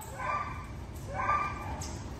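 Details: German Shepherd, one of two dogs reuniting with their owner, giving two drawn-out, tonal whines about a second apart, with soft background noise and faint voices.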